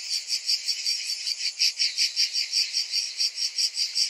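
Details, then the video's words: Summer cicadas producing a shrill, continuous rasping drone with a regular throb roughly every half second, no other voices or noise. "Cicadas in Summer"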